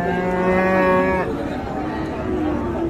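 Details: Bull for sale at the Ambari cattle market in Dinajpur on 31 October 2022, late in the market day while its price is haggled over: a deep, steady moo held a little over a second, followed by crowd murmur.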